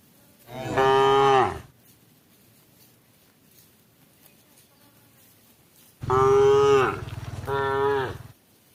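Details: Cow calling its herd, cows eating together as night draws near: one long moo, a pause of several seconds, then a long moo followed at once by a shorter second moo, over quiet background.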